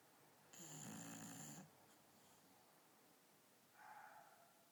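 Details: Night-time snore from Akira, a female dog asleep on a bed: one rough, whistling inhale of about a second, a quiet gap, then a faint softer breath sound.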